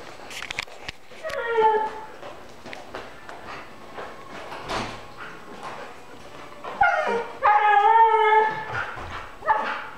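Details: A male Siberian Husky gives drawn-out, wavering howl-whines, bursting into louder, talkative yowls as he gets excited about going for a walk or hike.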